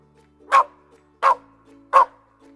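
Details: Pet puppy, called everyone's good friend, giving three short, sharp barks spaced roughly 0.7 seconds apart, each a bright burst, with soft steady background music underneath.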